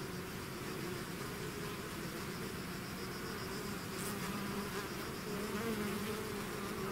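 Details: Swarm of bees leaving the hive: a constant droning buzz with shifting hum tones drifting slightly up and down, individual bees passing nearby over the steady mass of sound.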